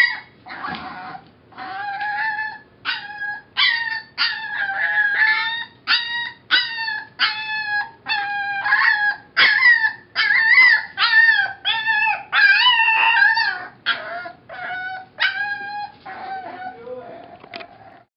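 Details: Young female puppy, reportedly six weeks old or younger, howls steadily in short, tuneful yelping notes that rise and bend, repeated in a quick, uneven rhythm, ending on a longer drawn-out howl.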